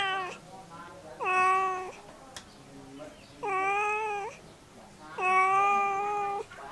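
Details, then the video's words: A domestic cat meows three times in full, with the tail end of an earlier call at the start. Each meow is drawn-out and tonal, about a second long, with short quiet gaps between calls. "Cat Sound Effect"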